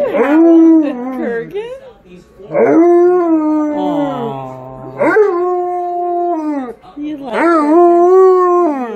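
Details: Pet Alaskan Malamute howling along to other dogs on screen, giving long rich howls that swoop up then hold and sag gently, about four in nine seconds, with a lower second voice briefly audible midway.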